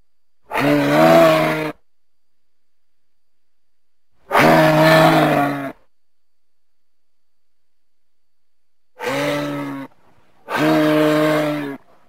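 A moose gives deep, nasal moaning calls, each about a second long, separated by silence.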